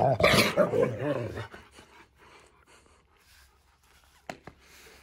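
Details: Siberian Husky play-growling, a sound that seems like attacking but signals play. A short, loud, wobbling growl-whine opens the recording, then only quiet room noise and a couple of sharp knocks follow.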